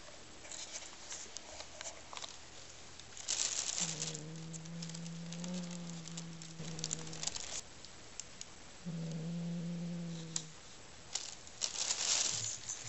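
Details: May, a pet cat, growls while playing with a new toy she found in its bag herself, treating it like prey she caught. Two low, steady, droning growls, about three and one and a half seconds long, with crackling rustles between them.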